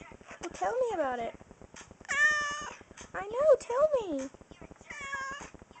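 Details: A spoiled pet cat meows indoors, giving about four drawn-out, wavering meows that rise and fall in pitch, some long and level. A person talks to it throughout, asking if it is hungry.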